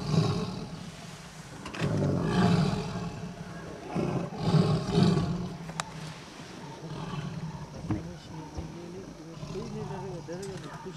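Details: Tiger roaring in Kanha National Park, India, late November 2007, recorded from a jeep: two long, deep, throaty roars swell around two and five seconds, followed by excited human voices.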